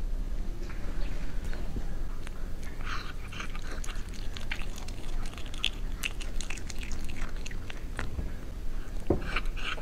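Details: A cat eating, recorded close up in ASMR style: steady wet chewing and crunchy biting with rapid irregular clicks and smacks throughout, over a low background rumble.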